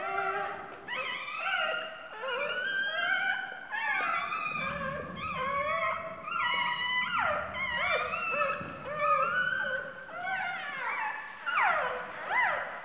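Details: Two-day-old puppy crying for help while the mother dog sits on it like a stool; dense overlapping squeals and whines with sliding, falling pitch, nearly continuous for the whole stretch.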